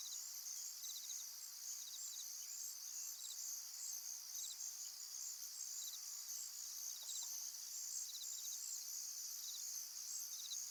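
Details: A tranquil pond scene full of crickets, their continuous high ringing drone overlaid with quick clusters of pulsed chirps at irregular intervals. A soft, brief lower note appears near the middle.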